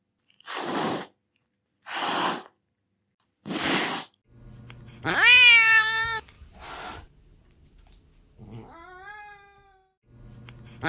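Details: Domestic cat hissing: three short, harsh, breathy bursts about one and a half seconds apart, then a loud drawn-out yowl that rises and wavers, another brief hiss, and a thin rising meow before a final hiss.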